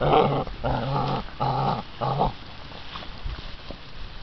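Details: American Bandog Mastiff puppies, six weeks old, going after a chicken tied to a string during a prey drive and holding power test. Four harsh, rumbling growl bursts of about half a second each, then quieter scuffling and thumps.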